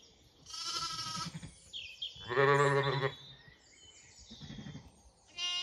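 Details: Sheep on a regenerative farm in County Kilkenny, Ireland, with lambs roaming near their feeding mothers: a high bleat, then a louder, lower wavering bleat, over steady munching and farmyard noise.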